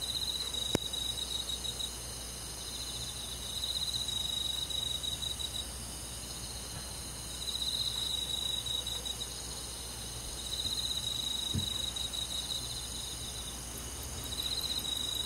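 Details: Night chorus of crickets in a rural summer forest, high pulsed trills arriving in bouts roughly every three seconds, with a couple of sharp faint clicks and a low steady hum beneath.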